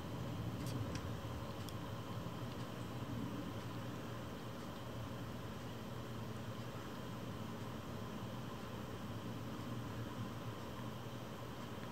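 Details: A low, constant electrical hum like an air conditioner runs throughout, with a few faint clicks near the start.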